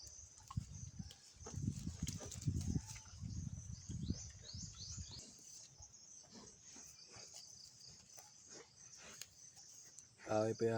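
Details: Free-roaming untethered native pigs kept in the province on Burias Island, Claveria, Philippines, give low, rough, rapid grunts in bursts during the first four seconds, then fade to quieter rustling; high bird chirps continue throughout, with a voice and a sudden loud noise at the end.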